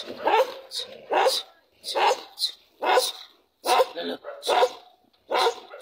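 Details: Dog barking in a steady series of sharp, harsh barks, about six evenly spaced over six seconds, each a short burst with some rasp.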